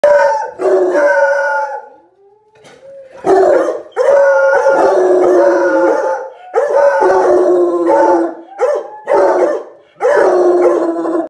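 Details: An 11-month-old male Bluetick Coonhound bays at a dog statue, giving deep, bawling, drawn-out, wavering howls in repeated bursts separated by short pauses.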